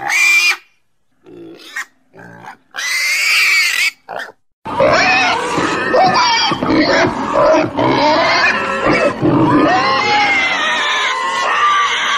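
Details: Several squeals from a pig, then a dense, continuous din of overlapping squeals and grunts, as if from many pigs calling at once.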